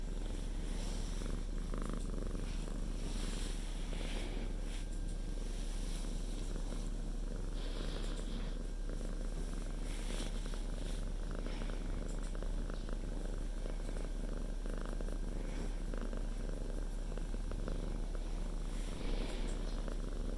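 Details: House cat lying on its owner's lap and purring, preventing work; a long, steady low rumble of purring continues for the whole stretch, with occasional light rustles and clicks.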